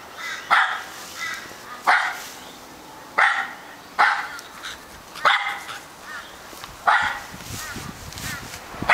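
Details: Repeated barking from Charlie, an Australian Terrier, roughly one bark every second or so, each loud and clipped with ringing harmonics, some followed by a softer trailing yelp.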